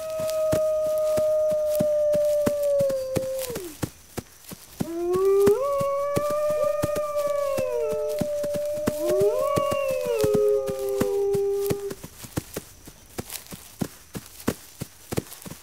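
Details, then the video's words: A chorus of wolves: a long level howl falling away, a pause, then several voices rising and wavering together before fading, with steady fast clicks throughout. "Wolves Howling"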